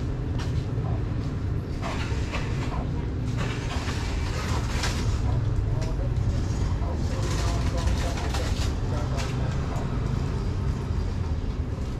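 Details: People talk over a constant heavy rumble of vehicles, with no animal call standing out.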